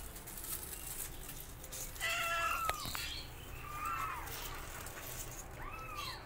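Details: Kittens learning to walk beside their mother cat, meowing loudly; short arched meows around 2 s, 4 s and 5.7 s, rising then falling, against a noisy background with a sharp click near 2.7 s.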